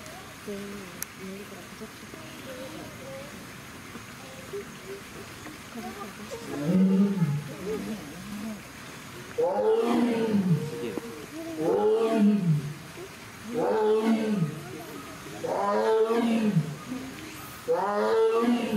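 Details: Amur tiger, a captive female born at Hamamatsu Zoo in February 2021, calling after carrying a toy cone out of the water onto land; quiet opening, then a run of loud, arching moaning roars repeated about every two seconds.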